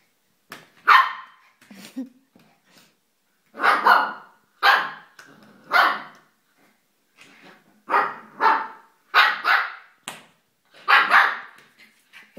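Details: Shiba Inu dog barking: around ten short, sharp, broadband barks over twelve seconds, arriving in uneven bursts, some in quick pairs, separated by silent gaps, with no other clear sounds.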